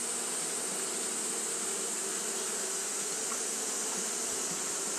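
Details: A colony of Japanese honey bees fans continuously on a hot day, making a low, even buzzing drone with a faintly pulsing grain. A steady high hiss is heard behind it.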